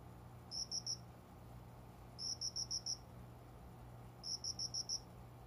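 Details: Dawn cricket song from a plant corner by a closed window just after five in the morning, summer; high ringing pulses in bursts of three, then five, then five, roughly every two seconds, soft hum behind.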